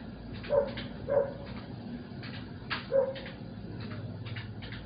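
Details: Domestic dog barking at night outside a home, heard while a TV series played indoors; three short, mid-pitched barks about a second apart, then a gap and one more, over steady background hum and clicking noise.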